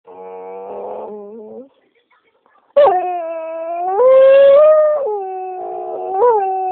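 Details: A cranky singing dog that wants to be left alone, howling: sustained, wavering tonal notes with rich harmonics, a short low howl, a pause, then a louder, longer rising and falling howl.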